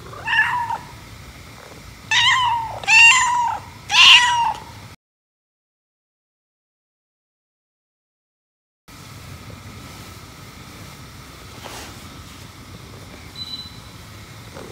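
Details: Indoor domestic cat, one of a white and a black cat, described as jealous while the owner pets the black cat, gives four loud, bright meows within about four seconds, each rising then falling; a silent gap follows, then faint room hum.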